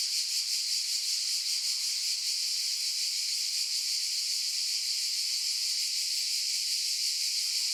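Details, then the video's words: Steady, shrill, buzzing drone of cicadas, unbroken and even in loudness, with a slight fluttering pulse and nothing else heard. "Cicadas Noise Sound Effect"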